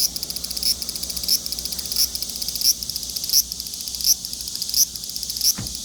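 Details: Large brown cicada giving a harsh, rapidly pulsed buzzing call, swelling into a louder accent about every 0.7 seconds in a regular throbbing rhythm.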